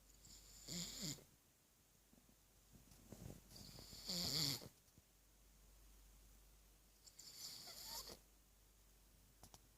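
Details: Gorda, a three-year-old pug, sleeps with her tongue out and snores: three raspy, hissing breaths with a low rumbling undertone, spaced about three to four seconds apart, quiet indoor room between them.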